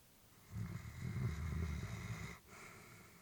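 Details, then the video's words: Sleeping elderly female Labrador Retriever at home, peaceful rest: a deep, rough, snoring inhalation of nearly two seconds, low and grainy, then a brief hush and a softer breath. "Elderly dog sleeping with breathing sounds"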